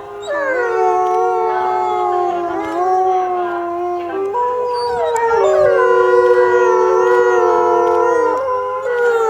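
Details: Group howling from wolves at Asahiyama Zoo, 8 March 2012, triggered by the female closing announcement rather than the music; long level tones held together, shifting pitch in steps, rising in volume midway.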